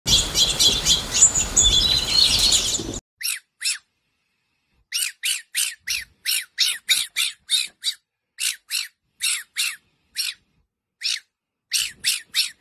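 A fennec fox gives rapid, high, squeaky chirps, several each second, after a burst of rustling.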